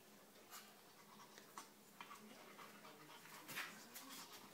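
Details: Whippet puppy Poppy, eight weeks old, playing with six-year-old Honey, a Maltese x Chihuahua; quick soft panting breaths with scattered clicks and thumps of play in a quiet room.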